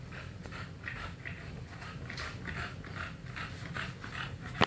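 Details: English Bulldog making funny noises indoors: a run of short, rough snorting grunts repeated about every half second, fairly even in loudness, with a low steady hum underneath and a brief sharp click at the very end.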